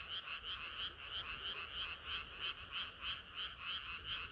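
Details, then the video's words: Chorusing frogs on a hot summer night, fast rhythmic croaks just over three per second, each a bright buzzy pulse, with the overlapping calls of many frogs forming a steady drone. "개구리들의 합창은 끝이 없어라"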